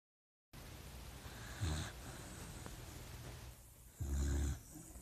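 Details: Sleeping puppy snoring while dreaming: two short, low rumbling snores about two seconds apart, separated by quiet breathing and faint room hiss.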